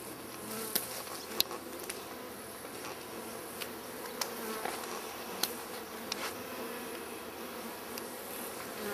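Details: Honeybees in a crowded wild hive inside a tree stump beside a path, testy and easily stirred up before removal; steady broad buzzing hum with scattered sharp clicks and taps.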